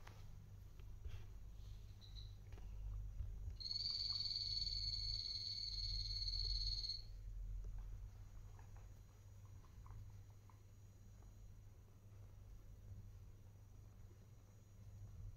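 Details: Guinea pigs adopted as adults, kept as pets and recorded 6.12.2022 on Guinea Pig Day. A single high, level whistle holds for about three seconds amid faint clicks and a constant low indoor hum.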